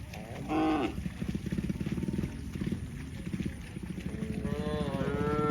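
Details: Cow mooing: a short harmonic moo near the start, then a longer rising, wavering moo toward the end, over a steady low rumbling, pulsing background.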